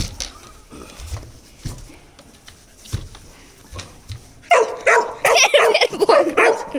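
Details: A 4-month-old Rottweiler, angry at a bucket, bursts into loud, rough barks and growly yaps after a few quiet seconds of knocking.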